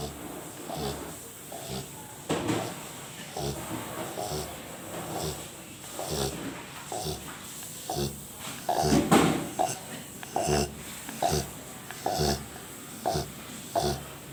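A Rottweiler snores in short, rough, rasping breaths that come in quick succession.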